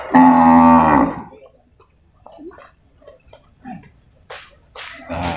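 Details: Deep, steady bellow of a water buffalo, about one second long, opening the recording at the Purwakarta livestock market on 21 November 2022. Quiet scattered clatter and faint voices follow.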